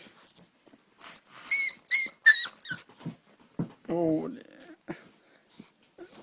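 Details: Eight-week-old puppy wanting to sleep in the bed lets out a quick series of shrill, falling whines, followed by a person talking in Danish over quieter whimpers.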